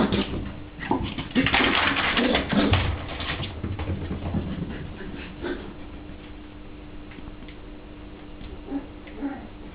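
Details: A Toy Poodle puppy running around gives rough, breathy play growls in short bursts, then settles into quieter huffs.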